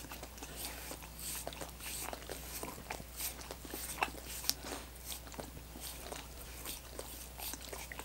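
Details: Dogs working on coconut water popsicles: soft wet lapping mixed with crisp crunching bites and a couple of sharp clicks, all over a faint constant drone indoors.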